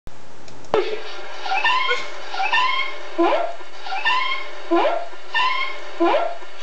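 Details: Ozzy the cat, recorded September 27, 2013, gives a quick run of about eight short, harmonic, speech-like meows. Each one starts sharply and bends upward in pitch, and they come roughly every 0.7 seconds with little else heard.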